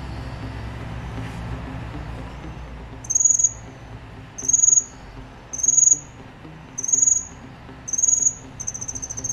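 A cricket gives high, shrill trilled chirps, each about half a second, repeating steadily over a low rumble.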